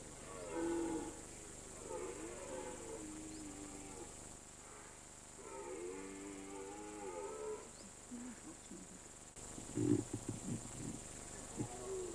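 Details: Red deer stag roaring during the September–October rut on a mountain pasture: several long, deep, wavering groaning roars with rising and falling harmonics, then a harsher, louder burst near the end. Steady faint hiss behind.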